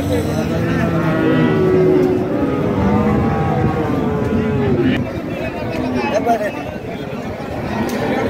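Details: Cattle lowing at a livestock market among cows and calves: drawn-out, deep moos with layered overtones fade in and out beneath steady crowd chatter and outdoor bustle.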